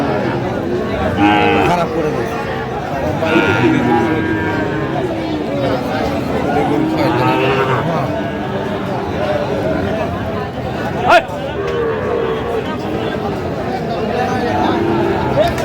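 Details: Sahiwal bull calf at a busy cattle market, bought by a farmer from Faridpur, Bangladesh, on 17 August 2025. Drawn-out lowing calls rise through the din, over steady crowd chatter and bargaining voices, with a sharp knock near eleven seconds.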